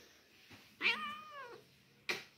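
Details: Domestic cat during play indoors: one loud, drawn-out meow with a clear, slightly falling tone lasting about a second, followed by a short sharp burst of sound.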